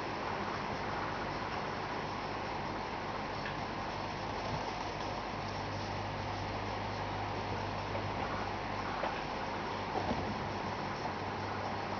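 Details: Steady broadband rumble like a running engine or fan fills the recording, with no clear animal voice.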